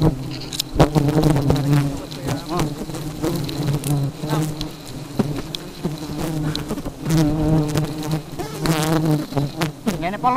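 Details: Very aggressive honey bees buzzing with a dense, steady low hum, overlaid by frequent sharp crackles and taps. Wavering voice-like tones rise over the drone around the first second and again near the end.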